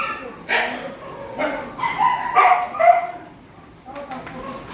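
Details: Dogs at a shelter during night feeding, giving a handful of short, harsh barks in quick succession, some overlapping, then a quieter pause near the end.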